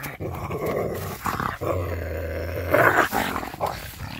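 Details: A coyote called Scooter, spooked and holding a stolen glove, recorded May 13, 2021; gravelly, snarling growls with a steady deep rumble in the middle and a sharper, louder outburst toward the end.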